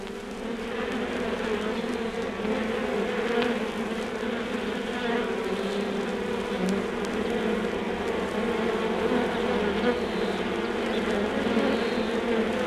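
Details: Honey bees in an undisturbed hive, a dense steady hum with strong bands around the low mid range, continuous and even throughout, with occasional faint vinyl clicks from the disc transfer.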